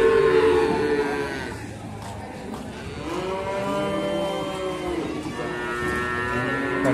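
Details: Young Simmental cattle at the Sukorejo animal market, Kendal: a loud moo opens, followed by further bellowing calls that swell and bend downward while market murmur continues behind.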